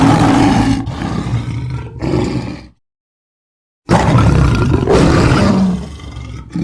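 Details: Lion roaring in deep, rough, low bursts, a sustained roar broken by a short pause, then a full second after an abrupt silent gap of about a second.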